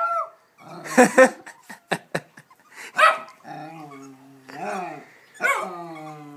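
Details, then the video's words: Pet dog Hamish, excited by a ball placed on a small mound of sand, gives short, rough barks and growly sounds mixed in with people's voices and laughter. "Hamish Barks at a Ball"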